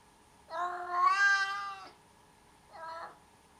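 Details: Cat letting out a long, loud, rising-then-falling meow of about a second and a half, followed by a shorter, softer meow; strongly harmonic calls over a low steady hum.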